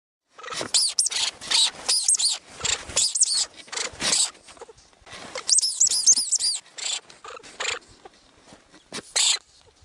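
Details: Lemming in the Russian Arctic giving bursts of very high, shrill squeaks, several rapid notes per second in uneven clusters separated by brief pauses, with no other clear sounds.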